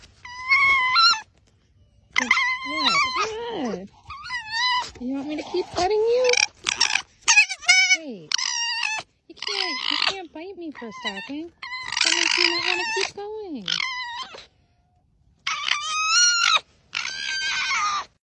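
An Arctic fox gives bursts of high, harmonic yelps and whining squeals, with a person talking softly.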